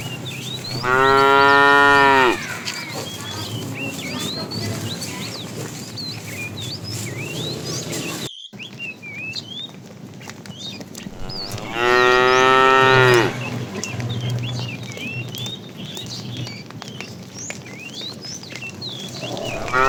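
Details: Fat cow in a tame herd herded in the afternoon, lowing to call the female; two long, rich moos near the start and middle, over steady chirping of many small birds and a low rumble.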